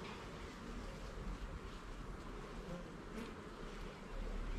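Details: Honey bees at a garden hive during an inspection of its levels and frames: a dense, steady low hum of many bees fills the whole stretch without pauses, slightly louder toward the end, with a soft rustle on top.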